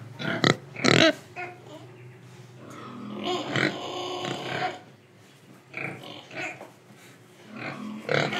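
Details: Pig from Indonesia grunting while breathing and eating; two sharp snorts open, followed by a longer rough, buzzy grunting stretch and scattered short grunts toward the end.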